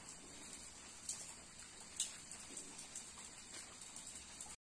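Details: A cicada's steady, high-pitched hiss drones on without a break under the patter of rain, on a rainy day in the woods at Umroi, Meghalaya; these cicadas are said to be of a 17-year life-cycle emergence.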